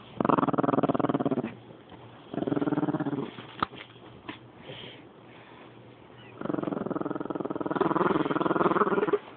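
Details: Female rat terrier wanting her toy, recorded on a phone: rapid pulsed growling in two long bursts at start and end, with a quieter stretch and a few clicks and thumps between.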